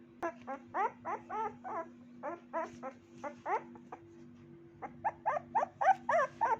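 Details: Puppy giving a run of high, whiny yelps, each rising then falling in pitch, about seventeen in quick succession with a short pause midway, over a steady electrical hum.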